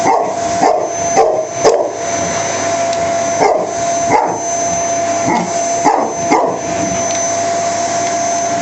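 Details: A dog barks at the vacuum cleaner during hoovering, sharp barks coming in small clusters, roughly eight bursts spread over the clip, partly masked by the steady droning whine of the running vacuum cleaner throughout.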